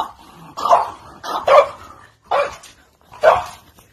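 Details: French Bulldog playing on a trampoline, barking four times in a loose rhythm, roughly one sharp, clipped bark every 0.8 seconds, with quiet gaps between.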